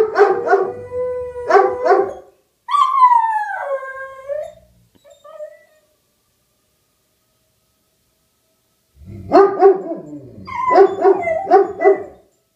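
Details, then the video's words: Two dogs, Rufus the Beagle and Axle the German Shepherd, howling in response to a tornado siren. Loud, harmonic bouts of howls with yelping breaks, a long falling howl, then a pause of several seconds before a renewed chorus of wavering howls. "Dogs Plus Tornado Siren Equals Howling"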